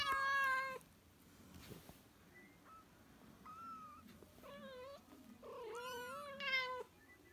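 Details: Young cat calling its mother with clear, tonal mews: a strong opening cry, then short, flat calls and wavering, pulsing meows that swell and fade, separated by brief pauses.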